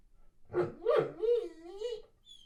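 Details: Weimaraner pining while boarded away from home, indoors: a short wavering howl-like vocalisation that slides down and levels off, with a faint high whine at the end.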